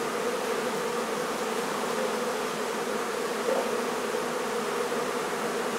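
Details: Colony of honey bees in a barn hive at La Feria, Texas, during removal and relocation, producing a continuous thick buzzing drone, unbroken and steady in loudness, with a faint hiss above.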